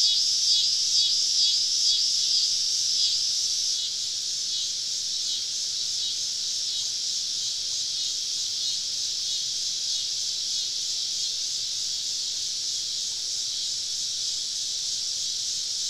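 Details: A summer evening cicada chorus in southern woods, heard while camping with the insects all around: a loud, continuous high buzzing that is strongest for the first four seconds, then settles into a slightly softer steady drone.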